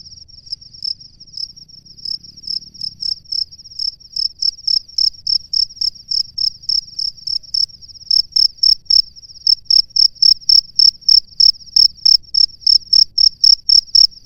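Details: Male cricket in its nest calling a female: a long run of short, high, shrill chirps repeated about four times a second, growing louder and steadier, over a faint continuous high ringing tone and low background rumble.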